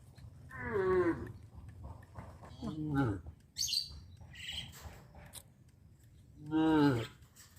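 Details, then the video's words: Traditional livestock cattle on a village street; two clear moos, one just after the start and a drawn-out one near the end, with a shorter low call between and brief higher chirps from other animals. "Sound of cows"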